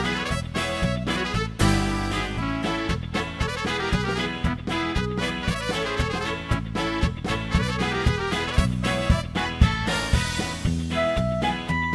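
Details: Lively swing-jazz music with brass and a bouncing rhythm plays throughout, with no animal calls.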